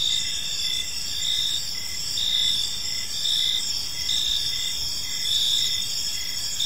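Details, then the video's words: Gentle cricket chirping during evening in a peaceful park; several callers produce bright continuous trills and repeating pulsed chirps close to one per second, no other animals standing out, faint low background. "Park Serenade: Cricket Sounds in a Peaceful Park"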